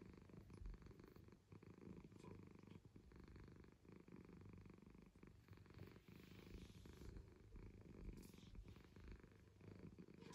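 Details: Roky, a pet cat, purring: a steady low rumbling throb with even pulsing texture running continuously, rising and falling gently with each breath, quiet and close, no other clear sounds.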